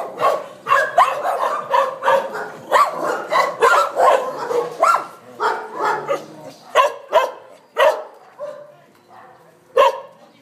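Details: Dogs in a shelter of 600 dogs in Sevilla, Spain, barking in sharp, loud bursts, several per second at first, then thinning out toward the end with a few isolated barks and a brief whine.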